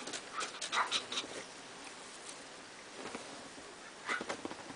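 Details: A Pomeranian spitz puppy offered for sale gives brief, high-pitched whimpers and yips in short clusters.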